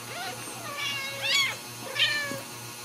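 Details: Ragdoll kittens raised indoors at a cattery in central Kansas, several thin high-pitched meows in quick succession, rising and falling, over a faint steady hum.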